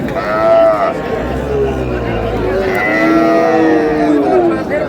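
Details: At Ambari market in Dinajpur on 7 August 2026, cows kept with their calves give several harmonic moos, one rising then falling, others long and level, amid nearby human voices and crowd noise.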